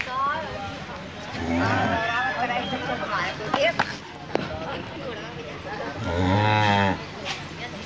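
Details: Cow giving two drawn-out, low, harmonic moos, the first near the start lasting under a second, the second longer and steadier about four seconds later, with scattered clicks and background noise between them.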